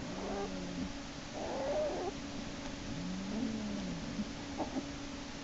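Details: Black bear cub kicking and screaming in Lily's den as Hope hauls him back by his back leg, March 1, 2011; low moaning cries with a higher squeal between, over a steady electrical hum.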